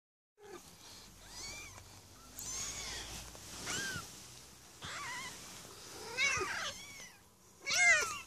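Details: Maine Coon kittens, part of a litter of six born on 8 May 2015 at a cattery, giving thin high meows in scattered bursts, several voices overlapping, with quieter gaps between calls.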